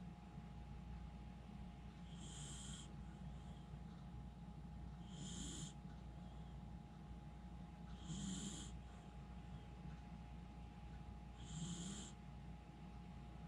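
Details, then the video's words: Miniature Schnauzer Jiji sleeping soundly, snoring loudly: four evenly spaced breaths roughly every three seconds, each a soft hiss with a low snort, over constant background hum. "ミニチュアシュナウザー(ジィジィ）、 立派ないびきで爆睡！"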